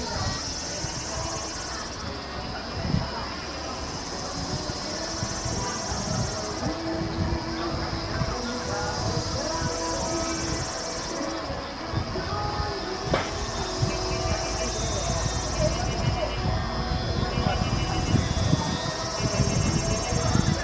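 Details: Kaempfer cicada at a campsite in Namasia, Kaohsiung, Taiwan, on 26 May 2018, singing a high, buzzy drone that swells and fades every few seconds.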